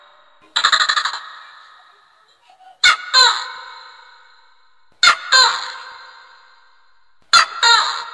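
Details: A tokay gecko, a pest that preys on swiftlets in swiftlet houses, gives a throaty rattle, then loud two-note 'to-kay' calls repeated every couple of seconds; the recording's pitch has been altered.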